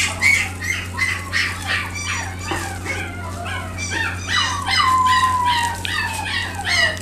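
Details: Male Shiba Inu whimpering and yelping in quick bursts, about three calls a second. The calls are thin, arching and nasal, with one longer falling whine near the five-second mark, set against a constant low hum.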